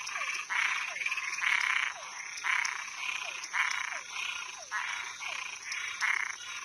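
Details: Frogs and tree frogs calling at night, a dense chorus of buzzy, rasping pulses repeated about every half second, with small descending chirps between them and a steady high insect-like hiss above.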